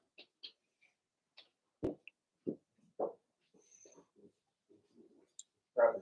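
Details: Seven-week-old Cavalier King Charles Spaniel puppies in an indoor home puppy pen, litter of Daisy; short squeaky whimpers and yelps come in scattered bursts, the loudest near the end, with faint clicks and rustling between.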